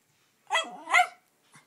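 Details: Two-year-old Norfolk Terrier indoors, intrigued by Christmas tree ornaments, letting out two short, sharp yappy barks in quick succession, followed by a faint third sound; a person then scolds it to leave the snowman alone.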